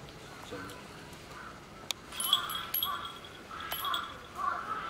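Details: A baby common squirrel monkey and its mother at Tobu Zoo give short, squeaky chirps and nasal chuck-like calls in quick irregular bursts.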